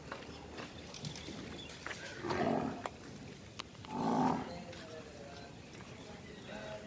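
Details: Nili-Ravi buffalo, dairy farm in Multan, Pakistan: two harmonic moos, each about half a second, spaced under two seconds apart, over steady farmyard background noise.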